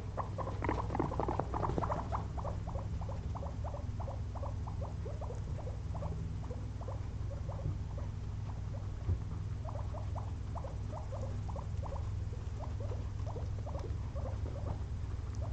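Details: Two resting pet guinea pigs, worn out after a day of munching frozen blueberries, produce a busy early burst of squeaky notes, then steady runs of short rising chirps over a low background hum.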